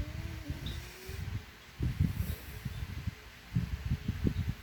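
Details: Snoring French Bulldog whose snores are likened to a human's; deep, throaty rumbles come in uneven pulsing bursts, louder near the middle and end, over a steady low hiss.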